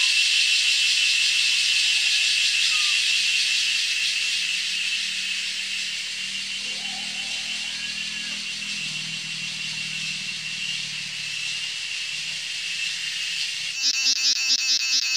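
A male cicada sings a loud, steady, high-pitched buzzing drone with a fast pulsing texture.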